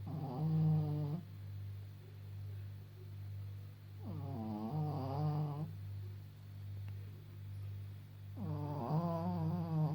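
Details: Snoring of an old Pekingese named Maggie, aged 14.5, blind and somewhat deaf, while she sleeps. Three long, buzzy, rattling breaths come about four seconds apart, with a constant low droning background.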